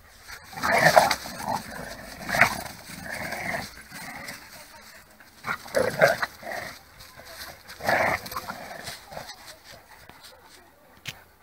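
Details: During a tug of war between two pit bulls of 26 kg and 28 kg, bursts of throaty growling and snarls recur every couple of seconds, separated by quieter pauses and scuffling.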